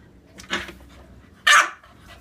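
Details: English Bulldog and Olde English Bulldog playing together: two short rough barks about one second apart, the second louder and sharper.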